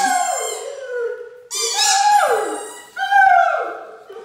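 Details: Great Dane Mikey howls indoors in his morning sing-along while another Great Dane, Ellie, squeaks a toy called Mr Snoopy. Three long, drawn-out howls slide downward in pitch, overlapped by shrill, rasping toy squeaks at each new phrase.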